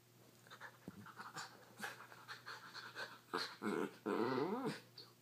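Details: Male Schnauzer playing with a cat that gets her paws stuck in his beard: a run of short rough huffs and grumbles builds into louder, longer growling bursts with a whiny tone near the end.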